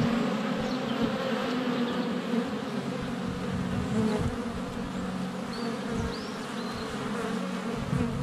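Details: ['Honey bees swarming the hive entrance on a sunny February day, GoPro Hero 7 Black under a foot away: dense steady droning hum with overlapping wingbeat tones, bees passing close, faint chirps of birdsong high above.']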